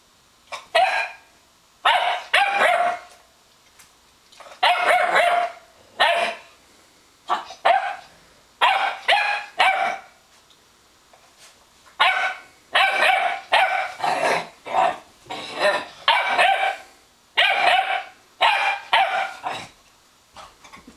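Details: Weimaraner puppy harassing an older Weimaraner that has the better bed, eventually scaring it away: a long series of sharp, high, yappy barks in quick clusters of two to four, with short pauses between them.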